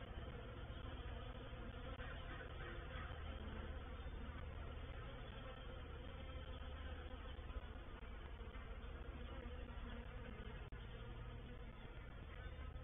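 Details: Honey bees of a reproductive swarm settling into a bait hive (swarm trap) on 04/07/21, a thick continuous buzzing hum of many insects, deep and even with faint rises in texture, no pauses or other sounds.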